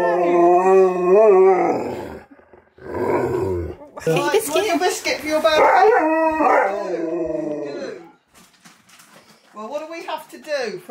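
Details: Two huskies howling together at a birthday party, 'singing' happy birthday: long wavering harmonic howls broken by short gaps, mixed with human speech and laughter.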